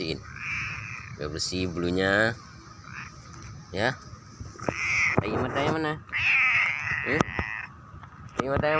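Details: A 'talking' cat gives several drawn-out, wavering meows, some rising then falling, mixed with human voices and background music.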